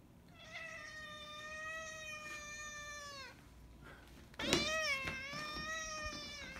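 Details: Indoor cat giving two long, drawn-out meows: a steady tonal wail of about three seconds that falls slightly at the end, then after a pause a louder, rising-then-falling meow lasting around two seconds.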